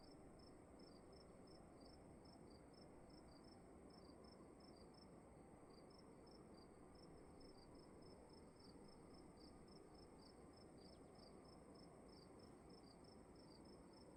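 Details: Indoor cricket chorus in a still room, where overlapping high chirps come in quick, irregular succession as if from more than one caller, over a constant high hum and soft broadband rumble.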